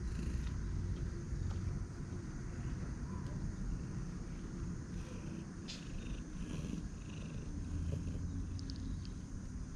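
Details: A roadside Siamese cat, apparently a stray, purrs affectionately while circling and rubbing around a person's feet, making a steady low rumbling throb close to the listener.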